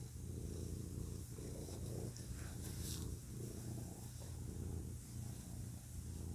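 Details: Close recording of a male pet cat purring. The purr is a deep, continuous rumble that swells and eases in regular cycles of roughly a second, following the breath, with faint hiss behind.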